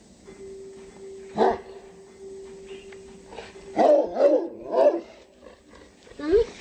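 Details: Miniature Pinscher giving alarm barks indoors: a single sharp bark near 1.5 seconds, then a quick run of three harsh barks around 4 to 5 seconds and a last yelping bark at the end, over a steady electrical hum.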